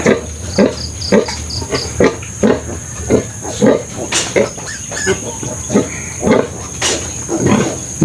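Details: Sow after farrowing with the few piglets still alive from a litter of twelve; quick rhythmic low grunts, nearly two per second, with a few sharper clicks and a faint high hum.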